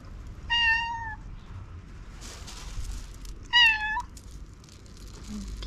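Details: Timid black cat, hungry, meowing to tell its owner something: two separate tonal meows about three seconds apart, the first flat and the second shorter and rising, with faint rustling and room noise between.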